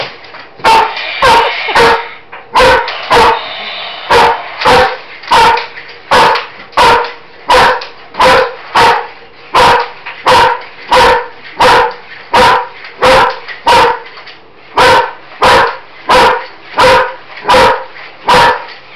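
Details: Loud, insistent barking from a female German Shepherd confronting a Roboraptor robot toy indoors. Harsh barks repeat about one and a half times a second in a long, fairly steady series of roughly two dozen.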